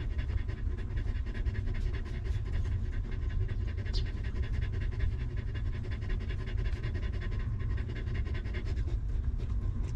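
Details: A stray mother dog with her litter of puppies in a difficult environment. Fast, steady panting continues throughout with a brief high squeak around the middle, all over a dense low rumble.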